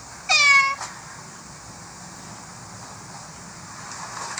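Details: A single short, bright kitten-like meow of about half a second, slightly falling in pitch, followed by near silence with faint background hiss.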